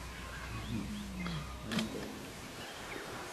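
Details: Wild lions, two Styx females with eight cubs, July 9, 2016: a low, drawn-out moaning call that slides gently downward for about half a second, followed by a brief second low note, over quiet outdoor background hiss.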